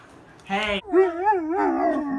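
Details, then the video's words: Pet dog howling in a wavering, yodel-like voice that rises and falls in pitch over about two seconds, preceded by a brief higher vocal burst. "howling compilation"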